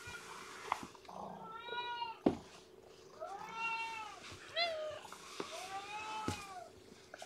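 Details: Weak, underweight newborn kitten, lethargic and being fed and warmed indoors, gives several high arching meows in a row, with a steady hum in the background and a person speaking briefly.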